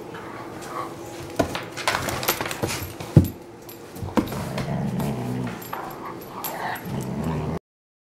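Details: Kingsley, a 4-year-old purebred German Shorthaired Pointer in the care of HART All Breed Dog rescue, gives short whimpers and a sharp yip midway, then a drawn-out whine, over indoor room clatter.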